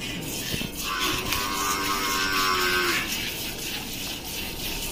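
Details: Gir cow at milking time, Rajasthan, India: a single drawn-out, steady harmonic moo of about two seconds, set against indoor background hum and faint voices.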